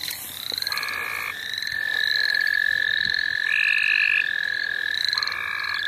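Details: A dense frog chorus in the St. Olaf College Natural Lands: several overlapping high, buzzy pulsed trills sound together, some stopping and restarting at slightly different pitches, with rapid steady pulsing and no voices.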